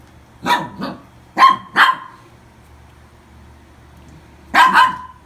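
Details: Adopted toy poodle yapping in pairs: two barks, another quick pair a second later, a pause of nearly three seconds, then a final close double bark, all high and sharp over a quiet room.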